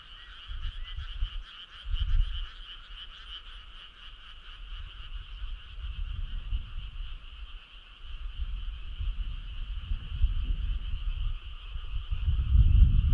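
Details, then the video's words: Many frogs form a midsummer night choir, their continuous vibrating trill ringing at a steady pitch throughout, while deep low-pitched thumps and rumbling rise and fall underneath, growing louder near the end. "Cool frog sound"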